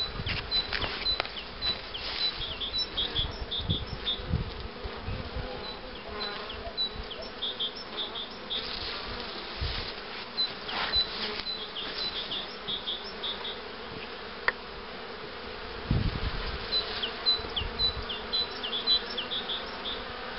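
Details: Honey bees at hives being prepared for rearing queens with the Cupularve system, including a starter hive for accepting queen cells: a dense, steady droning hum with frequent knocks and handling thumps, and small high bird chirps above.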